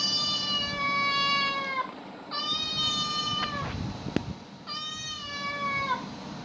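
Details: Domestic cats, with animal sounds being played to them: three long, steady, harmonic meows, each about one and a half seconds with a slight downward slide at the end, separated by short pauses over a low background hum.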